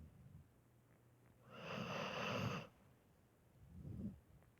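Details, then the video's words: Sleeping dog gives one long rough snore of about a second on the in-breath, followed by a quieter, low huffing exhale, over a faint steady background hum. "My dog snoring while sleeping"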